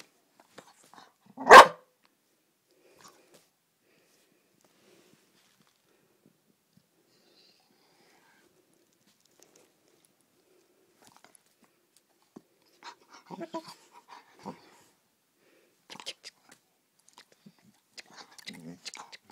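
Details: A Vizsla puppy at play gives one sharp, loud bark, followed by faint scuffling and soft noises.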